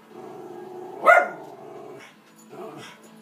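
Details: Indoor pet female Schnauzer reacting to animals shown on television with one sharp, loud bark and a softer follow-up bark, over a continuous background of TV audio.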